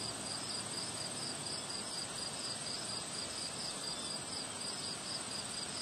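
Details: On a windy day, crickets keep up a rapid, regular series of high chirps, about two per second, laid over dense wind noise and a faint continuous high-pitched drone.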